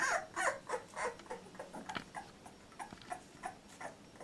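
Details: Labrador Retriever puppy, 14 days old, litter J: faint, thin squeaky whimpers repeated in quick succession against a noisy indoor background, fading toward the end.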